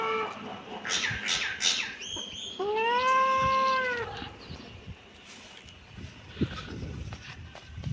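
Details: Kitten meowing: quick squeaky chirps, a brief high whistle-like note, then one strong arched meow, followed by quieter rustling and thumps.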